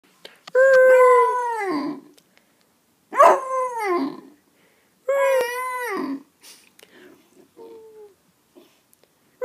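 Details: A 3-month-old Basset Hound puppy gives three drawn-out, wavering howls that slide downward at the end.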